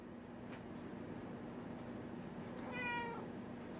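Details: One black house cat meowing in a basement: a single bright, drawn-out meow near the end that arches up and slides down, with a faint earlier chirp, all over a constant low electrical hum.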